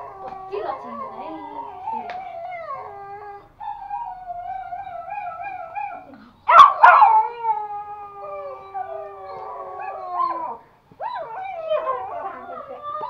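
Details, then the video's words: Two pet toy Pomeranians, a male and a female, howl along with music at home in Kathmandu, Nepal. Long wavering tones with stacked overtones slide up and down in drawn-out phrases, broken by brief gaps and one sudden loud burst midway. "Pomeranian hawling and very curious || dogs howling with music"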